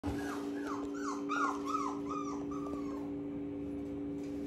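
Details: Border Collie with attractive coat colouring whimpers indoors: about seven short, high whines in quick succession over three seconds, each sliding downward in pitch, the last one drawn out, then quiet, over a steady low electrical hum.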